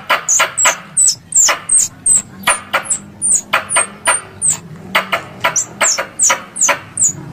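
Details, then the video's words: Squirrel call used in Indonesia as a lure for hunting: steady, rapid series of shrill, falling chirps paired with dry clicks, repeated several times per second throughout, with a faint low hum beneath. "Suara Tupai 3 In One Terbaru Sebagai Penyempurna Suara Pancingan Tupai"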